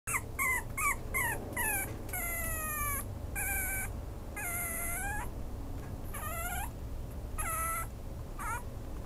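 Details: Maltese–Chihuahua cross dog giving a quick run of high, whining yelps, each a short tonal cry that bends up or down, about a dozen in nine seconds, over a steady low background hum.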